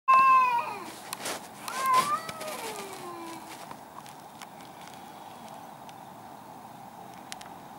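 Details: Two angry cats fighting in a garden: loud wailing yowls with rich harmonics open the clip, bending up and sliding down, then a second drawn-out descending howl around two seconds, fading into quiet outdoor background with faint clicks.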